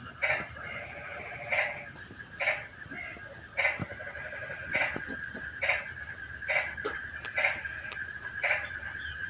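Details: Rainy-night frog chorus breaking the night's stillness: a series of about nine crisp, bright croaks spaced near one second apart, backed by a steady humming chorus.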